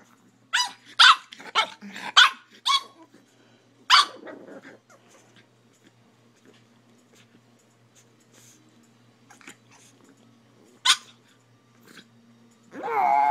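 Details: Buddy the puppy keeps barking at an iPhone while the owner tries to take pictures: a rapid burst of five or six sharp barks, then scattered single barks, ending in a louder drawn-out whining yelp; a low steady hum underneath.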